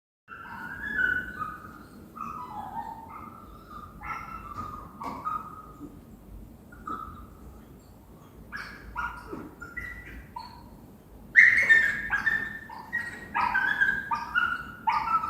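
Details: Dog or puppy whining and whimpering: drawn-out tonal whines, often sliding downward, come in short runs, quiet at first, then a louder burst of higher, more urgent whimpers near the end.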